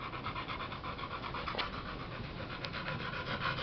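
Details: American Bully, an OG Gottiline male named Kid Rock, panting steadily in quick, breathy bursts with a soft rhythmic pulse throughout, with no other sounds intruding.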